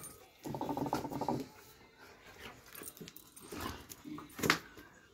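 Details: Dobermann in a small room: a sustained, nasal whine lasting about a second opens the sequence, followed by quieter breathy sounds and a sharp short yelp near the end, with faint speech nearby.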